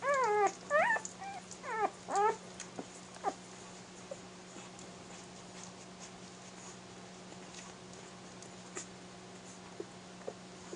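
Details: One-week-old Airedale Terrier puppies feeding at their mother's teats; a short burst of arched, squeaky whimpers in the first two seconds, then mostly quiet rustling with a constant low hum.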